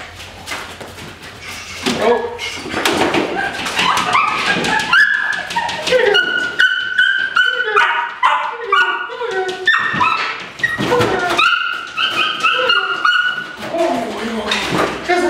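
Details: Debbie, a female Dutch Shepherd from Topeka, Kansas, described as very reckless in prey pursuit, gives high-pitched excited whines and yelps, mixed with loud thumps and bursts of broadband noise throughout.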